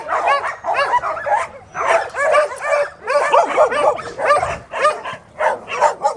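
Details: Shelter dogs at the Bark Ark barking in rapid bursts, several voices overlapping in quick runs of sharp barks separated by brief gaps.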